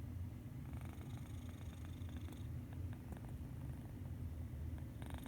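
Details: Low, continuous rumbling from Medi Cat, a cat snoring in peaceful sleep, with faint airy hiss bursts near the start and end.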